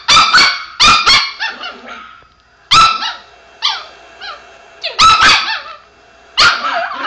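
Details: Chihuahua kept as a pet, barking at another dog's barks playing on a screen; rapid sharp high yaps in clusters, some ending in brief whining slides, repeated roughly every one to two seconds.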